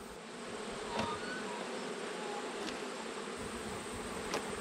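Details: Italian honey bees buzzing steadily during an autumn hive inspection as a beekeeper reassembles a hive packed full of bees; a dense, even, low hum with a few faint clicks and taps from handling the boxes.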